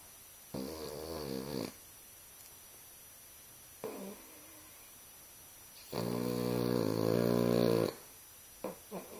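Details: A Boston Terrier snoring while sleeping with an eye open gives raspy, rumbling breaths, with longer drawn-out snores between shorter ones.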